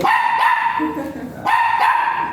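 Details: Dog at the Mapandan vet clinic during an artificial insemination service, with both dam and sire still virgin. Two loud, high, tonal yelping whines with strong harmonics, each under a second, separated by a quieter stretch with lower murmuring sounds.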